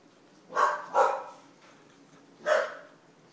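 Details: Nine-week-old English Bulldog puppies give three short, husky barks, two close together and one after a pause.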